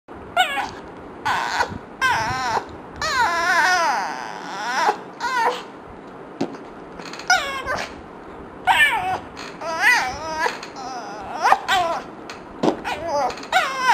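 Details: Yumi the dog, frustrated by fart sounds, gives a string of wavering, yodel-like whines in short bursts, some rising and falling in pitch, with brief quiet gaps and sharp clicks between them.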